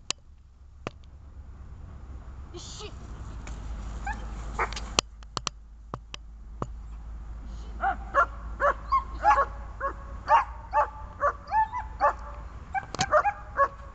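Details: Dog in bite training on a bungee lead, with grip, struggle and calming work. Scattered clicks and thumps, then a fast run of sharp, mid-pitched barks, roughly two per second, over steady low background rumble.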